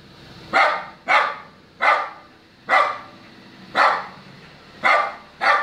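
Short, sharp barks from a small dog come in a steady series, about one each second, with a bright, slightly hoarse edge. The Lhasa Apso is barking because it wants to get into the car.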